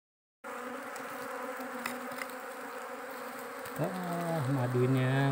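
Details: Giant honey bees from a wild forest nest, swarming fiercely while the nest is harvested; an even, thick drone starts abruptly and swells louder toward the end, with a few sliding hums and faint clicks.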